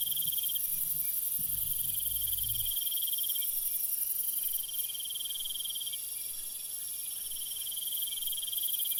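Crickets trill steadily at night in a high, continuous chorus.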